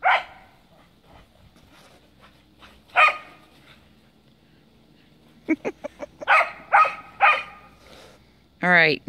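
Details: Sharp, short barks come in scattered bursts from a Cardigan Welsh Corgi playing in the snow, with a rising yelp at the end; a woman's voice is heard between the calls.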